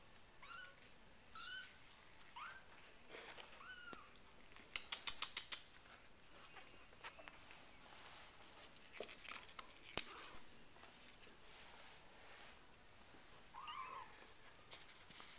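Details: Four-week-old RagaMuffin kittens of the Winter Wonderland Litter mew indoors. Thin, high, arching mews come roughly once a second at first, with a pause in the middle and more mews near the end. Sharp clicks and tapping sound in between.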